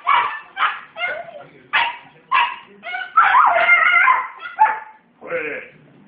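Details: A 19-month-old Australian Cattle Dog gives loud, wavering yips and short howls in quick bursts, his dingo noises, as if teaching a 10-week-old puppy.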